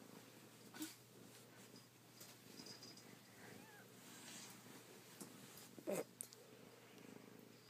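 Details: Kittens, with a soft low purring rumble running under the clip, broken by a few sharp clicks and brief rustling noises.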